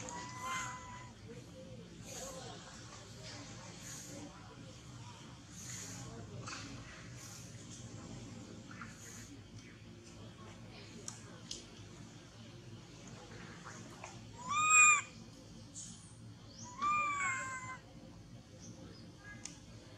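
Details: A baby monkey that has lost its mother hugs a tree and trembles. After a quiet stretch of soft rustling and clicks, it lets out two loud, rising-then-falling wailing cries with strong harmonics, a couple of seconds apart.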